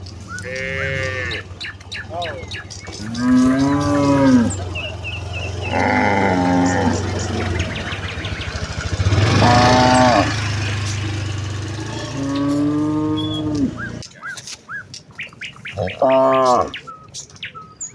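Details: Herd of village cows on a leafy path heading to the fields in the morning, mooing to one another: long, deep, wavering moos over a steady low engine-like hum that fades out near the end.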